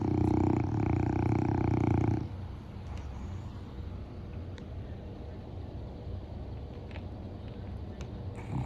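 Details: Gluten, a 9½-year-old Boston Terrier and the oldest of the household's dogs, snores loudly while asleep: one long, deep, rumbling, harmonic snore lasts about two seconds and then drops to quiet breathing and faint room noise.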